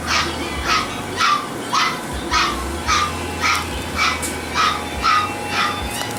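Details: Toy Poodle puppies give high, sharp yaps in a steady series, about two each second, eleven in all, over a constant low hum and faint background music.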